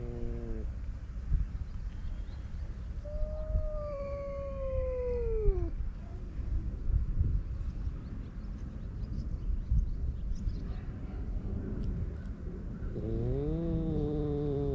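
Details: Male stray cats squaring off on a cat island in Japan; a drawn-out tonal yowl bends downward around three to six seconds, a second rising-falling harmonic wail starts near the end, over steady low outdoor rumble.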